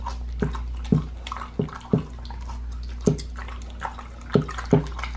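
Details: Raw-fed pit bull gnawing a raw lamb leg in a small room; loud, wet crunching bites land roughly every half second to second, with soft slurping between strikes.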